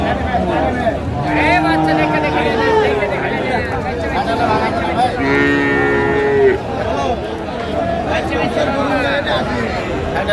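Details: Heifer calf, Friesian or crossbred, at the Raniganj livestock market, Dinajpur, on 9 February 2025. After a faint earlier low call, it gives a long, steady, tonal moo over about a second, midway through. Men's voices bargain throughout, with crowd murmur behind.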